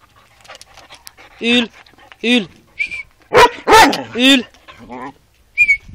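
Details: A Vizsla dog gives several short, harmonic, yelping barks that rise and then fall, spaced about a second apart, with a final brief high note; people talk in Hungarian nearby.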